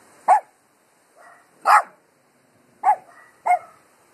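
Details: Dogs barking at the wind: four short, sharp barks spaced irregularly over a few seconds, with a couple of fainter yelps between them against a quiet background.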